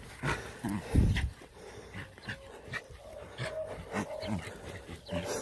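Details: A Jack Russell terrier playing with puppies gives short, low, rough growling bursts, loudest near the start.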